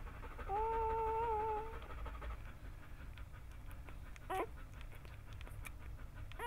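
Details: Bernese Mountain Dog during a home birth in July 2013, delivering the first of nine puppies. One drawn-out, steady, high whine lasts over a second, followed by faint rustling and a short, sharp squeak.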